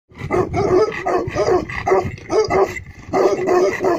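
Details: Black male Tibetan Mastiff, locally called Bhote kukur, in Eastern Nepal giving very deep barks in a steady run of about seven heavy, booming woofs over four seconds, one short pause before the last pair.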